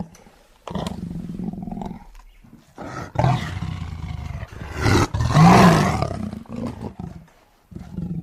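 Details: Tiger roaring in anger, a series of rough, guttural roars that swell into one loud, grating peak near the middle before falling back to lower growls, broken by brief silences.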